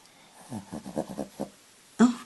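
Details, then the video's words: Barclay, an overweight Shih Tzu, snoring at night loudly enough to keep everyone awake; a quick run of short, breathy, rhythmic snorts, about seven within a second, then a sharper louder burst after a brief pause. "Shih Tzu dog Snoring"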